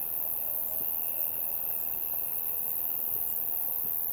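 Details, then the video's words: Buzzing insects on a summer night make an unbroken, very high, hissing chorus. Beneath it a faint mid-range trill holds steady throughout. There are no other clear sounds. "Summer Night Bugs Ambience Sound Effect"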